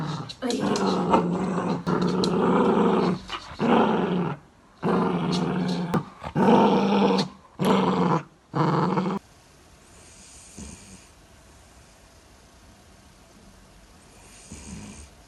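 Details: Louis Philipp, a tricolor Cavalier King Charles Spaniel family dog from Munich, Germany, makes long throaty growling and grumbling vocalisations in repeated bursts for about nine seconds, then quieter room noise follows.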